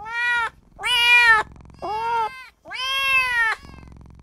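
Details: Tiny kitten, newly born, mewing for its mother and owner in four insistent high cries, the second and last longer and level, the third short and arched, with a faint low hum between.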